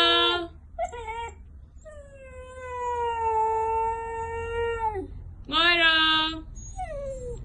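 A Siberian Husky howls in long, wavering, tuneful notes that sound almost like singing.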